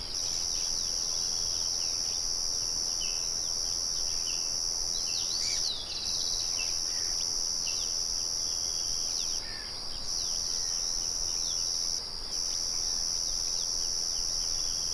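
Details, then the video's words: Outdoors near a windmill, crickets sustain a dense shrill trill with a few brief gaps. Birds call intermittently underneath with quick chirps and downslurred whistles. "Sonido de Grillos y Pájaros"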